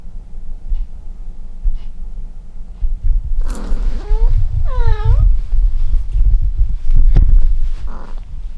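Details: Domestic cat under an air conditioner switched on as the weather turns cold, giving two short, wavering meows in the middle, then a faint third near the end, over steady low rumbling and handling noises.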